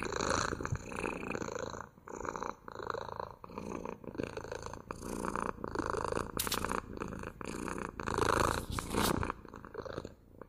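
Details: Cat purring right against the microphone, a grainy throbbing rumble rising and falling in regular breathing cycles of about one to two seconds.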